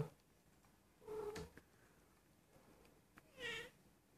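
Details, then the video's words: Nearly one-year-old female Persian cat, mewing and rolling over, possibly in heat; two short meows about two seconds apart, with small knocks and rustles between them in a quiet room. "Persian cat in heat"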